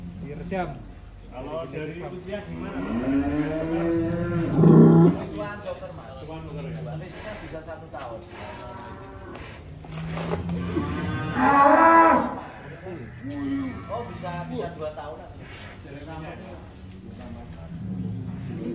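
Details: Giant cattle kept at a Wonosobo farm, one said to weigh 1.3 tons: two loud, drawn-out moos, the first around five seconds in and a higher, longer one near twelve seconds, with faint talk and barn noise between them.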